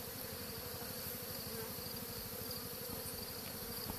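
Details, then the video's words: Honey bees swarming on a tree, being collected into a Dadant frame hive; a steady low droning hum of many bees runs throughout with even, dense texture and no other clear sounds. "Essaimage - Honey-bee-swarm"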